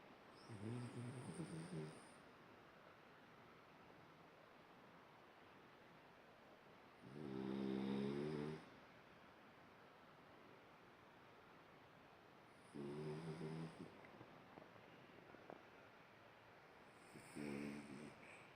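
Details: A French Bulldog, dreaming in its sleep, snores in low, rattling, buzzy bursts roughly every five seconds.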